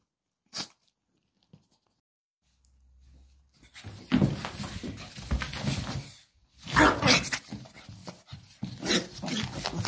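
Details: Pug named Mitrofan on a playful rampage indoors: after a near-silent start with a couple of faint clicks, rough, noisy growling snarls come in irregular bursts separated by short pauses, heard in a small room.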